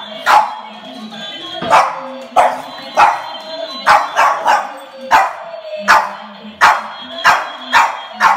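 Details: A Boston Terrier barks at a Minion toy, giving sharp, yappy barks in quick, uneven bursts over the toy's electronic voice and tune.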